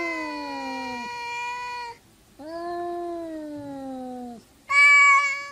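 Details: Quarrelling cats indoors: three sustained, rich meows in a row, the first two long and gently falling at the end, the last shorter and higher-pitched. Brief quiet gaps separate them.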